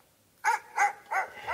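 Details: Siberian Husky indoors, 'talking' while reacting to a dog app: four short, harmonic, yelping vocal notes roughly every third of a second, each bending up then down, in a quiet room.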